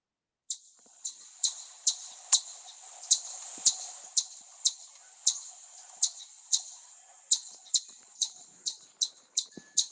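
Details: An Eastern chipmunk in Southeast Michigan gives sharp, high chip notes, repeated about twice a second as an alarm. It is a sound often mistaken for a bird.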